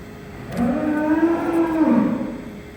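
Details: Cow calling noisily in the background on a farm in south-west Scotland while another cow's feet are trimmed. One steady, low, sustained moo lasts under two seconds, level in pitch with a slight fall at the end, over a faint indoor hum.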